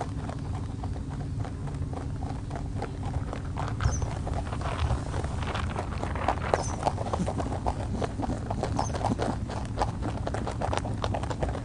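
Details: A friendly free-roaming rabbit (Oryctolagus cuniculus) on Okunoshima, Rabbit Island, Hiroshima, Japan, chews in a fast, steady run of crisp little crunches over a low hum.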